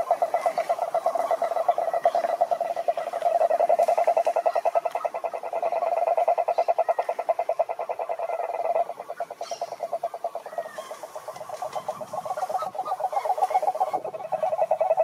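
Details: Toad giving a long, rapid pulsed croak, the pulses running together into a rattling trill that dips in loudness around nine seconds, then builds again toward the end.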